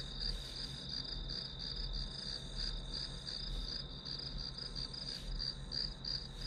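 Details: Chorus of grass insects used as white noise for studying, with shrill pulsed chirps repeating quickly and evenly over a low steady hum and a few soft taps.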